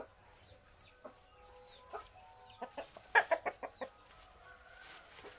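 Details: A village gamecock makes scattered single clucks, then a fast, loud run of about seven clipped clucks. Low background noise runs throughout.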